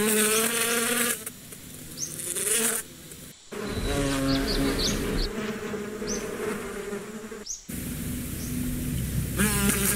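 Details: Continuous buzzing of bees, a low humming drone rising and falling in pitch through several sudden cuts, with scattered short high-pitched bird chirps in the background.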